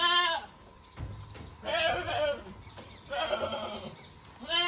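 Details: Domestic goats kept by their owners give wavering, harmonic bleats at the start and end, with rougher, breathier bleat-like calls between and quiet gaps.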